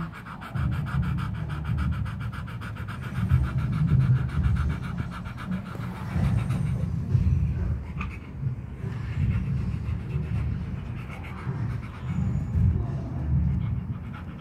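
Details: Pet dog panting heavily, breathy low-pitched puffs running unbroken through the whole stretch, with a fine rapid rasp in the first six seconds and no voices over it.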